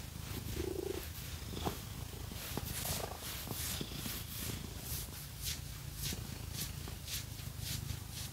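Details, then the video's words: Pet cat purring during a scratching massage with fake nails, a low continuous rumble beneath rhythmic scratching sounds and occasional clicks. "Scratchy Cat Massage | 🐈 Lots of Purring"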